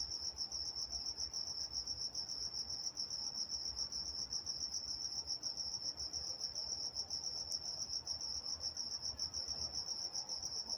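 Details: Night-time crickets in Walnut, California, giving a continuous shrill pulsed chirping at a high, constant pitch, the rapid beats running unbroken throughout, over quiet background with one brief faint click.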